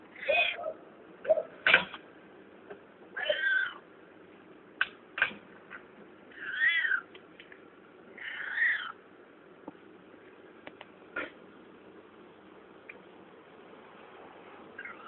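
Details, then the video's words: Strange noises from a found cat, a series of short, choked meows and yowls in uneven bursts, some clipped and broken, mixed with clicks and handling sounds, then a long quiet stretch and one final faint call. "Cat making weird noises"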